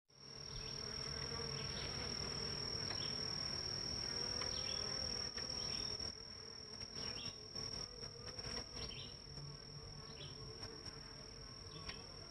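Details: Honey bees at their hives in northern Kentucky around 9am on July 23, 2023, busy carrying pollen in: a dense, steady low hum of many bees, with a constant high insect whine above and a few faint bird chirps.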